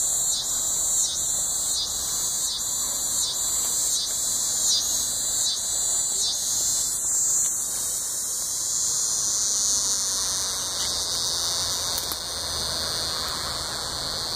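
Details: Coastal scissor grinder cicada at Sea Isle City, New Jersey, August 20, 2016: high buzzing pulsed rhythmically for about seven seconds, then merging into a continuous shrill drone that fades and shifts.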